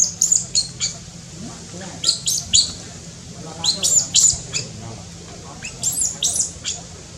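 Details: In Cambodia, a newborn baby monkey born up in tall trees gives repeated high, piercing squeaks in short bursts of two or three, spaced about every second or two across the recording.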